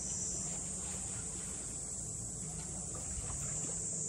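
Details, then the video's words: Continuous shrill cicada drone over the traditional funaya boathouses of Ine, north of Kyoto, holding an even high pitch throughout, with a low rumble and faint distant voices beneath. "cicadas voice"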